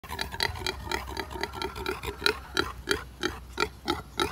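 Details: Tamed native pig, tied up, with coconut, giving rapid, rough grunts, about three per second, in an uneven but steady stream of short oinks.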